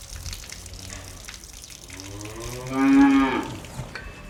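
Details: A cow in a barn gives a single deep, drawn-out moo that swells and rises, over faint background hiss.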